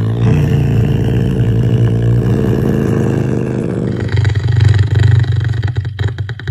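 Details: Caracal named Clara, known as Floppa, growling: a low, rumbling, continuous growl with rough pulsing texture, swelling louder toward the end.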